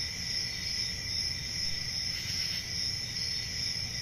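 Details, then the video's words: Crickets on a peaceful country summer night, a steady high shrill chorus with pulsing trills and a fainter lower band, over a soft low rumble of background noise. "10 Hours Relaxing Cricket Sounds For Sleeping | Ambient Summer Night Sounds"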